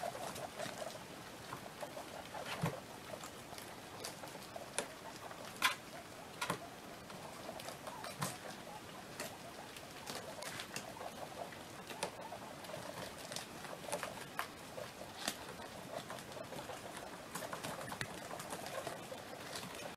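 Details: Sixteen baby guinea pigs at play, giving soft, low murmuring chutters in short bursts, mixed with scattered sharp clicks and the light patter of small feet moving about indoors.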